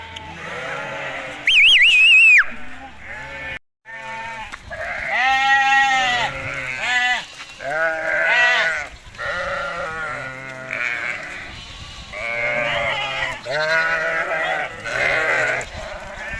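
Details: Hisori sheep in Tajikistan, 20 May 2023, on the way to summer pasture: loud, rich, trembling bleats come one after another from many animals, some long and wavering, with a sharp high cry early on.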